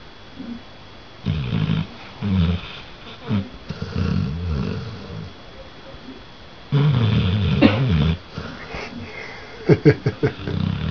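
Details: A red-nosed Pit Bull and American Bulldog cross dog snores loudly while sleeping when tired. Harsh, rumbling low snores come in rhythmic bursts, with a louder, longer stretch midway and quick, short snorts near the end.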